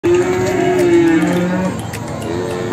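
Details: Jumbo Simmental cattle at the Sragen livestock market in Indonesia: a steady, low droning moo held for about two seconds, dipping slightly in pitch, with a second lower tone joining midway and market chatter behind.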